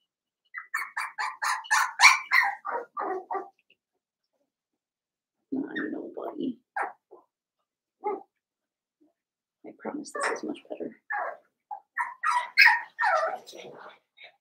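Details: A litter of five blenheim Cavalier King Charles Spaniel puppies, seven weeks old, in a home puppy pen. Short bursts of shrill yapping and whiny barks come in clusters separated by quiet gaps, with softer lower whimpers in between.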